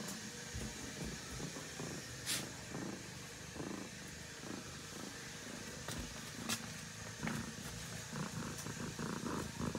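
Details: Kitten Sasha sleeping together with ducklings, giving a soft, steady low purr under faint rustling and occasional sharp clicks and taps.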